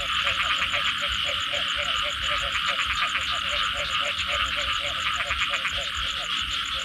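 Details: Frogs calling after rain: quick, regular croaks repeat about three times a second, knocking and pulsed, set against a dense, shrill trilling chorus and fast high ticking pulses.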